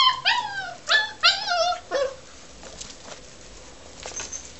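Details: Australian Shepherd puppies playing in a garden with their family members; several high, wavering whining yelps in quick succession over the first two seconds, then quieter faint sounds.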